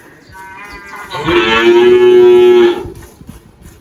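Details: Girolando cow named Malhada, 18 years old, on a farm in Anápolis, Goiás, Brazil, March 2023: a single steady, level moo lasting about a second and a half, rich in harmonics, over a quiet background.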